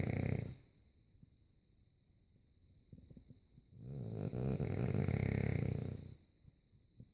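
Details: French Bulldog snoring during sleep. A snore trails off at the start, then after a soft pause comes a long, drawn-out rattling snore of over two seconds. A faint steady hum runs throughout.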